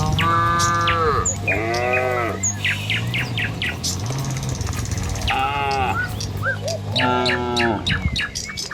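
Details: Dozens of tame village cattle moving along a country road toward the pen in the morning. Four moos, some rising and falling, spaced a few seconds apart, with birds chirping and a steady low rumble beneath.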